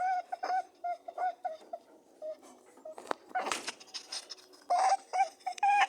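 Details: Rabbits mating make soft tonal honks early on, then a burst of rustling and scraping movement, followed by louder grunting honks near the end.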